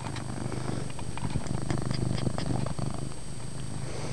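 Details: A domestic cat named Chase purrs loudly in a dark room, the deep rumble pulsing in fast even cycles throughout, with slight rustling over it.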